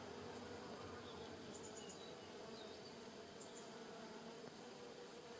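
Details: Giant white-tailed bumblebees with smaller honey bees buzzing around rosemary in a Polichnitos village garden, early November 2020 sunshine; an even, continuous humming drone with a few faint high chirps overhead.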